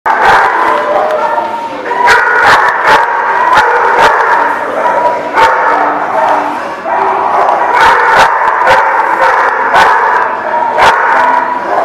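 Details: Dogs at The Barking Lot, recorded 12/08/17, bark over and over in a dense, overlapping chorus of mid-pitched harmonic yelps and whines, with sharp clicks and knocks scattered throughout.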